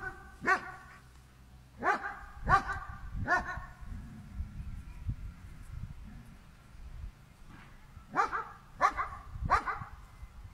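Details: Barking German Shepherd dog in a standoff with a cow, with irregular bursts of sharp barks, a group of three early, then a pause with low rumbling before another rapid run of three.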